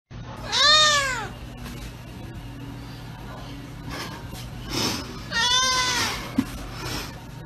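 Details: Domestic cat giving two loud, drawn-out meows that rise then fall, spaced about five seconds apart, with a soft background hiss between them.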